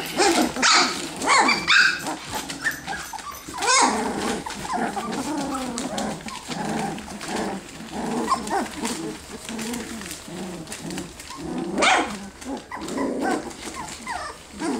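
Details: A litter of ten F1B Standard Goldendoodle puppies at three weeks old play fighting; a busy chorus of tiny growls, squeals, yips and whines overlaps continuously, with sharper yelps at intervals and scrabbling sounds.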